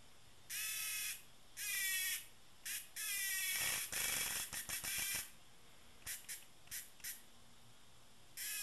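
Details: Docile cicada giving loud rasping buzzes: three separate bursts, then a longer stuttering run broken into rapid pulses, followed by several short clicks and another buzz onset at the end.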